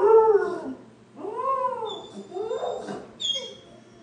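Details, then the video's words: Dog howling in arched, rising-then-falling wails, each about a second long, with a thin high whistling tone briefly in the background. "Dog howling"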